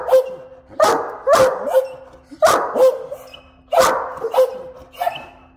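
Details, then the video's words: Pair of Great Danes holding a morning conversation, giving clustered yodelling yelps and short barky whoos in groups of two or three, pausing briefly between bursts, over a faint steady hum. "Great Dane Love A Lot To Say"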